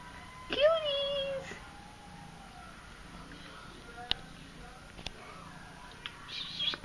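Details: Baby kittens, described as mad, give one clear drawn-out meow that rises sharply then levels off and fades over about a second, followed by quiet with scattered faint clicks and a soft woman's voice nearby.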